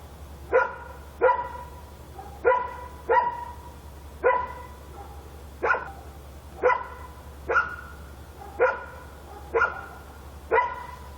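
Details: Korean night scene of a dog barking: a steady series of about a dozen sharp, ringing barks, roughly one every second, evenly paced over a faint low hum.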